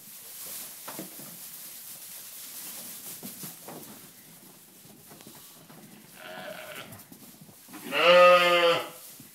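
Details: Ryeland lamb bleating: a shorter, fainter bleat around six seconds, then a loud sustained quavering bleat near the end, over quiet shuffling and rustling.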